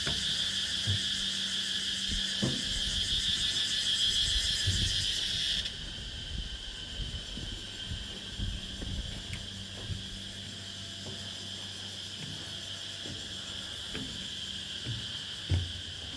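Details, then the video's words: Insects on Nang Yuan Island at dusk, falling silent as someone walks past: a dense, shimmering high buzzing chorus stops abruptly after about six seconds, leaving a thinner steady high drone, with scattered low knocks and thuds throughout. "Insects calling turn silent as I walk by."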